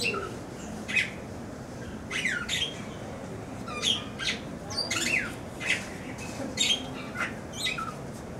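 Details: A meerkat at Diergaarde Blijdorp zoo gives short, harsh squawking calls, repeated every second or so with quick rising and falling sweeps.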